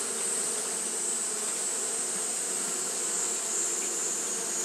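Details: Short stretch of Japanese honey bees fanning on a hot day, heard as a level, unbroken buzz with low humming tones and a continuous thin high hiss.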